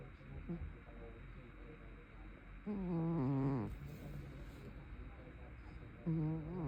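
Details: A sleeping brown tabby cat snores heavily: soft faint snuffles, then a long wavering harmonic snore, with another loud snore starting near the end.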